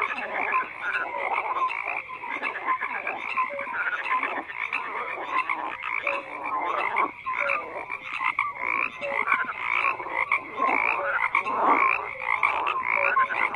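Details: Frogs croaking in a dense chorus, overlapping pulsed croaks and short tonal notes blending into a continuous throbbing wall of sound with no pauses.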